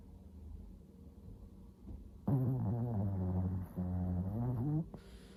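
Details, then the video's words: Old Shih Tzu Samsuni snoring after eye removal and tooth extraction: quiet breathing noise, then a loud, low, buzzy, tonal snore with a wavering pitch that lasts about two and a half seconds, briefly broken once, before fading back to soft breathing. "시츄 삼순이의 코골이"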